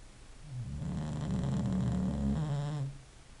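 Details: An English bulldog snores in one sustained low, rattling breath of about two and a half seconds, building gently and ending suddenly, with a buzzy flutter throughout and no other sounds.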